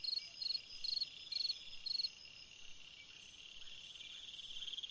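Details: Summer-night cricket song, a run of brief pulsed chirps spaced roughly half a second apart, fading after two seconds into a constant high-pitched insect drone with faint trills.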